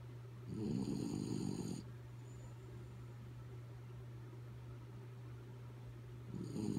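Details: Dog Kaya Boo dozing, giving a harsh rattling snore early on, a long quiet pause of several seconds, then the next snore beginning at the end; a steady low drone runs throughout.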